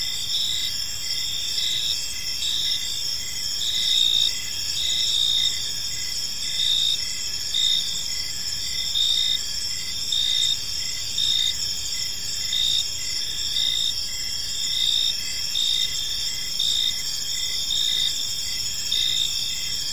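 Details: Crickets chirp steadily through a calm evening in a park, a continuous shimmering high trill with rhythmic pulsing chirps and slight swells in loudness, nothing else clearly audible.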